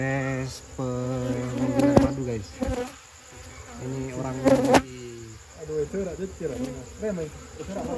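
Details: Honey bees buzzing as honey is taken from their nest during an amateur night-time harvest after Lebaran; a steady low hum with clear overtones breaks off and resumes, with excited voices and handling noises over it.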